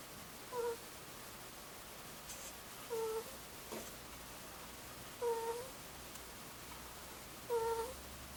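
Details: A two-year-old Angora ferret asleep, giving a soft 'kuu-kuu' snore: four faint, short whistled tones, each repeated about every two and a half seconds, over a quiet room hiss.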